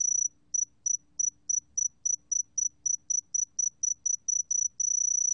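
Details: A Sae-geumbit-jongdari cricket sings a pure, high, ringing tone broken into short chirps, about four per second, running into a steady trill at the start and end; nothing else is heard.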